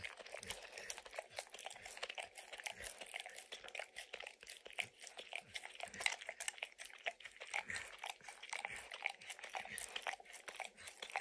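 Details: Indoors, Max the dog snacks on kibble and peanut butter from an orange mat. Quick wet licks blend with sharp biting crunches that repeat many times a second across the whole stretch. No speech.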